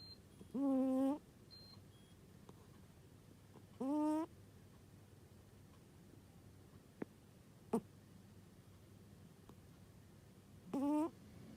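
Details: A sleeping cat snoring in an odd way, giving three brief squeaky, tonal snores with a slight rise, spaced unevenly several seconds apart, in a quiet indoor room with faint clicks between.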